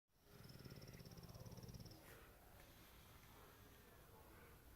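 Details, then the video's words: Male AKC-registered English Bulldog napping in a home office in Prosper, Texas, snoring loudly: a deep, fluttering rumble that vibrates rapidly for about two seconds, then fades into quiet room noise. "Bulldog Snoring"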